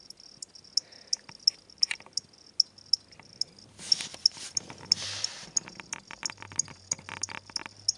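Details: Two pet crickets from a pet shop, where they are sold as reptile food, kept indoors as a birthday-style gift. Short, high, sharp chirps repeat about three times a second, broken midway by a burst of rustling handling noise.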